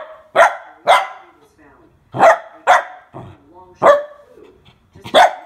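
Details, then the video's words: Mini Goldendoodle puppy, a nervous female, barking while scared of a water bottle: six sharp barks in uneven pairs over five seconds, with faint background talk between them. "GOLDENDOODLE PUPPY SCARED OF WATER BOTTLE"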